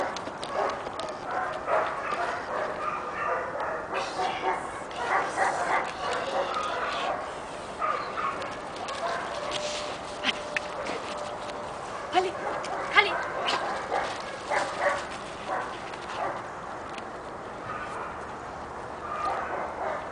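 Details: Six-month-old Giant Schnauzer puppy Kali, pepper and salt coat, letting out clustered bursts of sharp barks separated by quieter gaps, with some broadband clatter and steady background noise.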